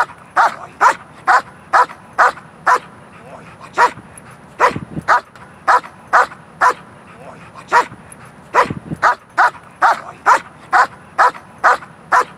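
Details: During protection training a dog barks repeatedly and rhythmically, roughly two barks per second for over twelve seconds with a couple of short pauses, the barks punchy and clear while faint low rumble sits underneath.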